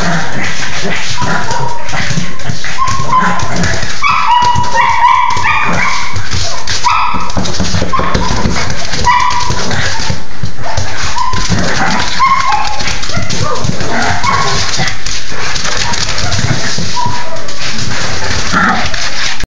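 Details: A Cocker Spaniel that was left out while a Pekingese played, whining from the background in repeated high, short whimpers and yips, heard under loud, constant scuffling and handling noise from the play.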